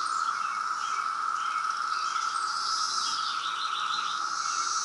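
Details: A 2017 periodical cicada emergence in Reston, Virginia, heard as a continuous loud buzzing chorus, while small birds chirp and twitter over the top.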